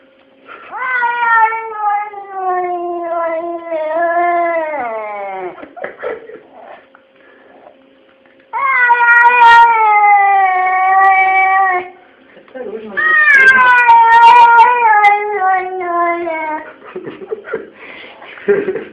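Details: Pet cats 'talking' in a small room: three long, plaintive meows separated by pauses. Each is drawn out and drops slowly in pitch, with faint clicks and rustling between calls.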